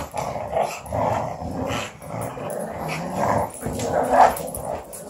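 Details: A small pug growls while playing with an Australian Shepherd, giving low, gravelly, throaty growls in uneven bursts. Each burst swells and fades over about a second, with brief pauses for breath between.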